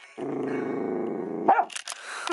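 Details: Dachshund chewing a dog chew, giving a low, steady rumbling growl for over a second, followed by a brief sharper sound and scraping chewing noises; a woman speaks in Korean around it.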